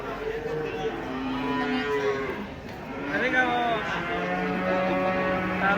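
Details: At a market, one of three huge cattle raging while unloaded from a truck gives long, steady lowing moos, several drawn-out harmonic bellows in succession over crowd murmur and background noise.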